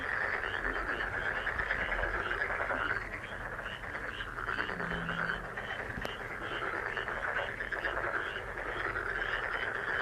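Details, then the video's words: Massed frogs calling nonstop, framed as a good-luck healing sound. Rapid, regularly pulsed higher notes ride over a dense croaking drone. The chorus dips briefly around the middle, and a short low hum joins it. "행운 개구리소리 The sound of a lucky frog"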